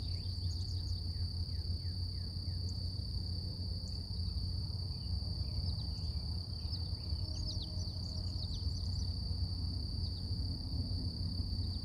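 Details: Morning cicada chorus outdoors: an unbroken, even, high-pitched hum throughout, set against strong low background rumble, with scattered quick descending bird chirps sprinkled across the recording.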